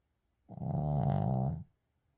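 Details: Uijung the Shih Tzu snores while sleeping: one low, throaty, vibrating snore of about 1.2 seconds, steady and slightly fluttering, then quiet.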